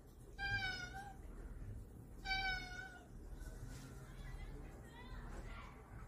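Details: Domestic cat trying to escape gives two drawn-out, slightly falling meows with rich harmonics, each under a second and about two seconds apart, followed by faint low murmurs and a person talking quietly in Korean.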